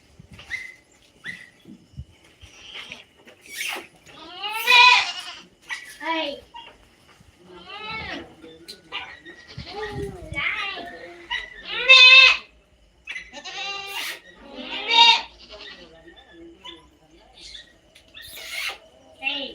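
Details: Native country goats calling repeatedly, with several quavering, nasal bleats spaced a few seconds apart, some loud and some softer, and occasional short human voices in between.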